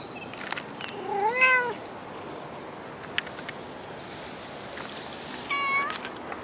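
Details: Cat at Dockyard Garden on 21 August 2016, just after six in the morning, giving two meows: a drawn-out, arching meow near the start and a shorter, higher one near the end, with faint steady background hum and a few soft clicks.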